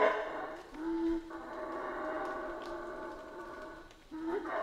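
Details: Howler monkeys from the Central American rainforest giving long, steady, droning howls, easing in loudness, then a rising howl returning at the end.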